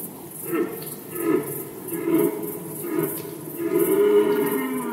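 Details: Red deer in the 2020 Polish rut: a series of short, throaty grunting roars comes roughly once a second, building to a longer bellow at the end, with a faint repetitive high ticking behind.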